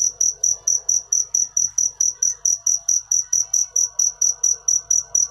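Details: A cricket chirps continuously in bright, piercing high pulses, around four per second, with only soft low background noise.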